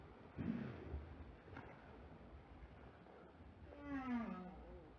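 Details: Two Southern right whales, recorded by a hydrophone on a pole during a mating event in Table Bay, South Africa, on 8 April 2021, give low, moaning tonal calls, one sliding downward with rich overtones.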